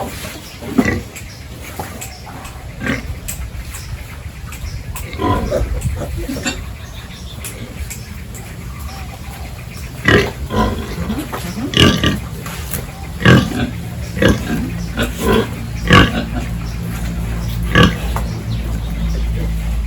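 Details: On a village pig farm, pigs being fed fresh mixed feed while pens are cleaned give scattered grunts and snorts, more frequent in the second half, over a low steady machine-like hum and clatter.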